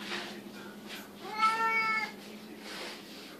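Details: A Siamese cat indoors, demanding food at feeding time. It gives a single clear, drawn-out harmonic meow over a steady low hum. A man's voice is faintly audible.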